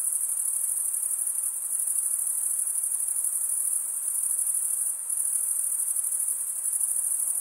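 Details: Chirping crickets, the males rubbing wing against toothed wing vein, create a continuous piercing high buzz-trill; a brief dip in intensity near the fifth second, otherwise even and uninterrupted.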